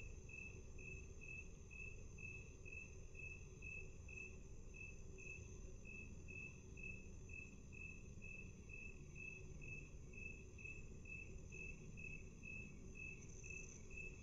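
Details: Slowed to half speed, a cricket chirps in a long unbroken series of short high pulses, a little over two per second, with continuous low background rumble.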